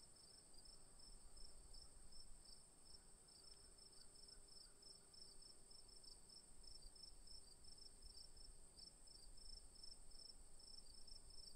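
Crickets sing in a steady, high-pitched trill, with a second voice pulsing in quick, regular chirps.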